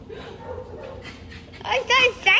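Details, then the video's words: Mini Aussiedoodle, a young dog with a wet face from a spilled water bowl, greeting her owner at a reunion: a few high, sharp excited yips and whines near the end, after quiet murmuring and indoor background noise. "Owner Reunion | Mini Aussie Doodle"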